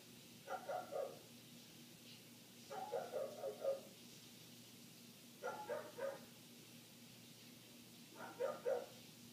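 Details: A neighbor's dog barking nonstop, heard indoors through closed windows: muffled bursts of two or three quick barks roughly every two to three seconds, with a steady low electrical hum underneath.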